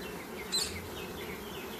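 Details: Honey bees in an open hive under inspection make a continuous low, even hum with a hissy edge, and a brief thin high chirp cuts in near the middle.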